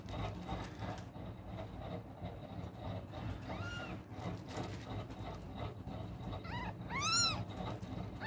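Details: Newborn kittens, three with eyes still closed, one searching for its mother's milk, at night; a few thin rising-falling mews near the end, the last one loud, over steady low rumbling background noise.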